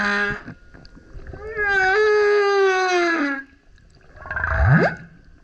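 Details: Singing male humpback surfacing next to a kayak, producing a sustained harmonic wail that slowly slides downward for about two seconds, then a rough upswept grunt.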